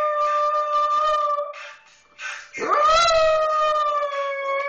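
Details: Pekingese puppy howling along to a hip hop song: a long, steady, tonal howl, a brief pause, then a rising, wavering howl that settles into a sustained held note, with the music faint underneath.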